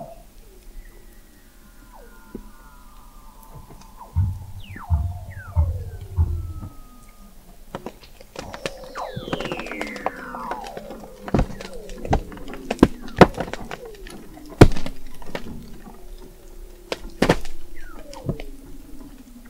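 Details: Weddell seal vocalizations under Antarctic sea ice in McMurdo Sound, taken in November 2017 at an observatory 21 m below the ice; many overlapping sweeping trills and descending whistles, low pulsed grunts, and sharp clicking bursts crowd the sea.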